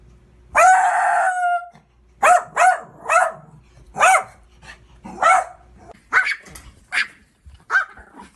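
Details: Dog barking: a long strained opening bark followed by a run of sharp, evenly spaced barks about every half second, tapering to lighter yaps.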